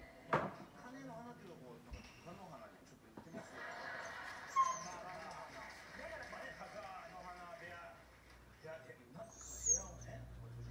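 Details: Komugi, a five-month-old red Akita, leashed and calling sadly when Patako, a brindle Akita companion, is out of reach: drawn-out wavering whines and whimpers with a few sharp yips, recorded October 2018.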